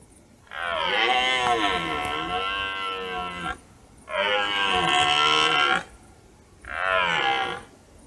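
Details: ['Red deer stags roaring in a forest during the autumn rut, heard on a hunting trip at dusk: three deep, drawn-out harmonic roars, the first about three seconds long and the next two shorter, separated by quiet gaps.']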